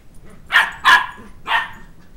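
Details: Two-month-old Sheltie puppy indoors, chasing a two-year-old child around a coffee table for his stuffed toy dog head; three sharp, high yapping barks in quick succession, the second loudest, roughly half a second apart.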